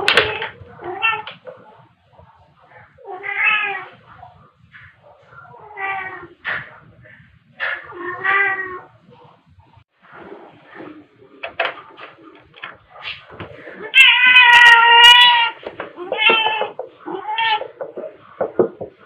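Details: Two pet cats, Pepper, a black cat, and Kofi, a tabby, playing indoors with fluffy toys, filmed in March 2021 on a phone with a mini shotgun microphone; a series of harmonic meows, with a long, loud, drawn-out meow near the end.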